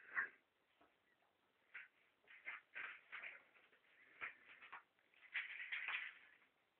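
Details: Rudi the ferret struggling over food, giving a series of short, scratchy chattering bursts at uneven intervals, ending in a denser run of rasping notes over a quiet background.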